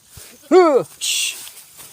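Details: Herded goat grazing in a countryside field, raised by its keeper: a single harmonic bleat rising then dropping, followed by a brief hissing burst of noise and quiet outdoor ambience.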